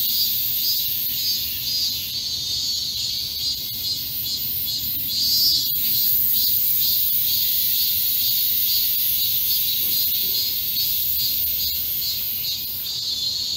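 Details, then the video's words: Cicadas singing in a chorus in the midsummer heat wave at Yesu Hyanggi Garden on 31 July 2022. A dense, continuous high buzzing shimmers with a steady rapid pulse, with a few faint clicks. "한여름 폭염 속 계절의 전령 매미 울음 소리 독창과 합창"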